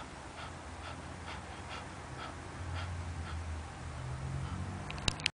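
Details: Fifteen-year-old pet poodle snoring indoors: soft, airy rasping breaths repeated roughly every half second over a steady low background hum, ending with a brief sharp click.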